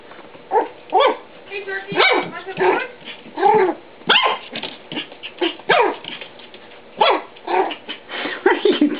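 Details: A male Papillon, playing with a Siamese cat on 9 August 2011, gives a string of sharp, high yapping barks, with a person's voice nearby.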